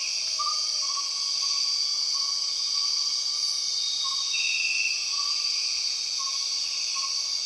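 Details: Empress cicada droning in Borneo rainforest: an even, intense high-pitched buzz fills the whole span, with a short brighter burst midway and a row of faint, repeated low whistles beneath.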